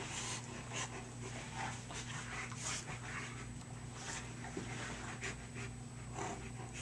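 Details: Great Pyrenees dogs Piqua and a rescue named Paisley wrestling in play; breathy, huffing pants burst out roughly twice a second with scuffling noises between them, over a steady low electrical hum.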